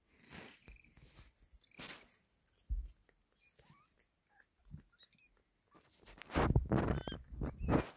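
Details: Kitten being taken from a hand by its mother cat; several short, high, rising and falling mews scattered through the clip among rustling, thumping handling noises and shuffling movement.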